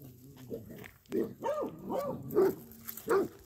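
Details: Rosie, a female basset hound digging out a filled hole, gives quieter, hoarse arching barks and grunting sounds over a low background rumble, the last bark sharper and brighter.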